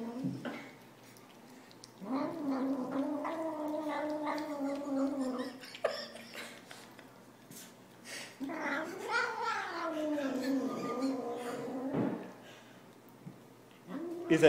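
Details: Pet cat in a home setting, voicing two long, wavering yowls of about three seconds each that rise then sag, separated by a quieter pause with faint speech and small knocks.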